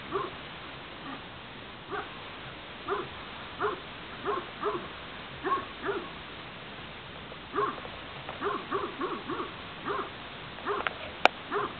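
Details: Spanish mastiff, the transhumance breed, on a farm: a series of short, arched, whine-like yelps, roughly one every second, with brief pauses and a faint steady background hiss.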